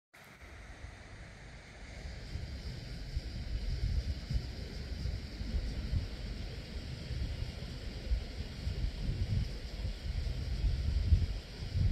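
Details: Only low rumbling wind and steady water or engine-like noise are heard, with no animal calls.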